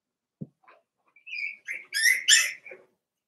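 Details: Four-week-old Cavalier King Charles Spaniel puppies from Daisy's litter in an indoor puppy pen. A low grunt, then a run of high, squeaky whines that rise and waver, growing louder toward the end.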